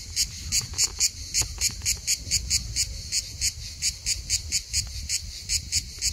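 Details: Pulsing song of a Hellenic cicada, Skiathos, Greece, in summer, singing almost all day long; shrill buzzy bursts come in a fast steady rhythm, roughly three per second, with low rumbling underneath.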